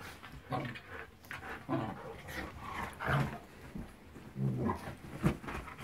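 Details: Young Shiba Inu, six months old, play-fighting indoors with a four-year-old Siberian Husky: repeated short, low growls and throaty grumbles, about one each second, with scuffling and panting between them.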